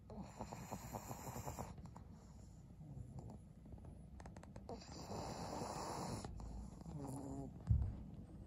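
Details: Snoring of Maria, an elderly fawn female pug aged 12, at home in Japan in winter: two drawn-out, gravelly breaths several seconds apart over a low, steady indoor hum, ending with a soft thump.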